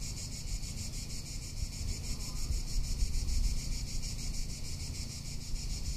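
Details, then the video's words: High, rapidly pulsing cicada buzz from a Tuscan summer, continuous and steady, with heavy low wind buffeting strongest around the middle. "Cicada or Cigarra - Sounds of summer in Tuscany"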